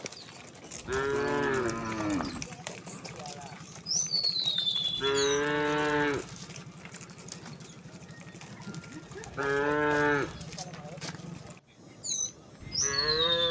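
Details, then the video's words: Large herd of tame cows and oxen moving leisurely toward a resting place in open rural land; four loud harmonic moos spread across the stretch, with a low steady hum between them and occasional descending bird whistles. "the sound of cow all along the way"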